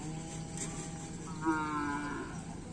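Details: Karapan Sapi race bull training on a field at Asemanis: a drawn-out tonal moo with clear stacked harmonics, slightly rising then holding for about a second, amid steady background noise and brief human voices.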